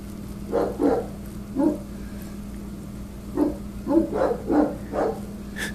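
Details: Sarge, an angry Rottweiler, barks at construction workers trimming branches from telephone wires, guarding against intruders; deep barks come singly and in clusters of two to four, with a steady low hum underneath.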